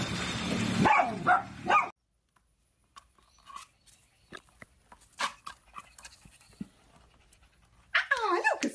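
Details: Siberian Husky puppies: short whining, yelping cries with bending pitch at the start, a stretch of quiet soft clicks and shuffles, then another burst of wavering whines at the end.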